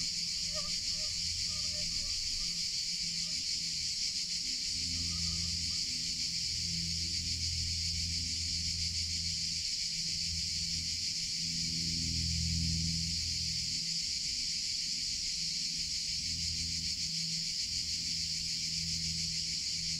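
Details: Cicadas in summer: a dense, unbroken high buzzing chorus that holds steady throughout. Short faint tonal notes appear early on, and a low rumbling hum comes and goes underneath.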